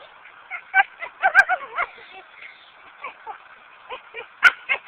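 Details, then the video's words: Pet dog Lucy grows frustrated failing to bring back a brick, captured on a Samsung A900m phone; clusters of whiny, wavering yelps separated by short pauses, plus a couple of sharp clicks. "Dog tries to fetch a brick makes strange noises"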